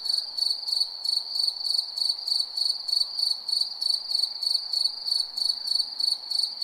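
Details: Shrill cricket chirps at night, each a brief pulsed trill, coming about three per second in a regular beat over soft background noise.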